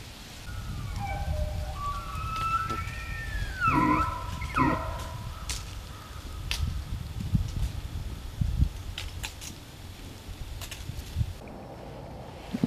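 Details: Elk (Cervus elaphus) in rut season at Benezette township, Elk County, Pennsylvania: sliding whistled calls arc up and down, followed by a few sharp clicks and knocks over a low rumbling outdoor background.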